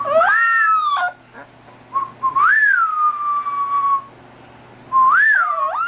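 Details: Little dog howling: high, thin wavering notes that rise and fall, one long sustained wail held for over a second, then a fresh rising howl starting again, over a faint low hum.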